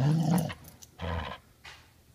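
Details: Border Collie being dog-sat, refusing to give its ball back and talking: a deep, rumbling growl-like grumble opening the clip, then two shorter, softer vocal bursts, indoors, with a person's voice nearby.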